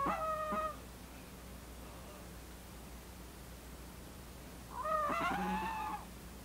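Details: A male Maltese dog born December 2015 snores in his sleep, each breath a thin, whistling nasal tone with a buzzy edge, about five seconds apart, with quiet room hush between.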